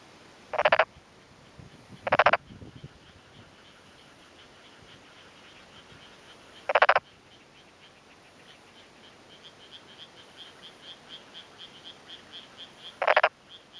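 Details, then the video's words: Male black-spotted pond frog calling in breeding season, cheek vocal sacs inflated, answering another nearby male from a flooded, freshly puddled rice paddy, rural Tokuji, Yamaguchi, Japan, afternoon of 2 May 2011: short, rasping croaks at uneven intervals, faint chirring behind. "昼間鳴くトノサマガエル Pelophylax nigromaculatus"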